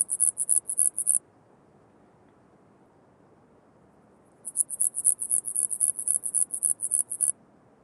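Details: Common mountain bush-cricket (Antaxius pedestris) singing at Huben, Austria, on 8 September 2020, picked up with an ultrasound detector: very high, dry pulsed chirps in rapid regular trains, a short burst, a pause of about three seconds, then a longer series.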